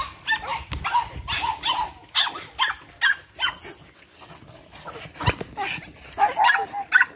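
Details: Eight-week-old Boston Terrier puppies from one litter, lively and playful, giving scattered shrill yips and little barks, spaced by short pauses and light scuffling sounds.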